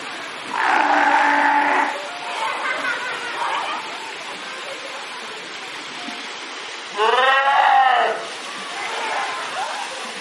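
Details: Fur seals swimming in a pool and making noise: two loud, hoarse bleating calls with rich harmonics, one early and one near the end, separated by quieter grunting sounds and splashy background.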